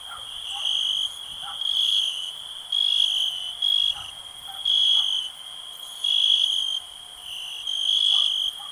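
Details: Cricket sounds for relaxation: a constant shrill trill, overlaid by louder buzzing bursts that repeat roughly every second, with soft lower clicks in the background.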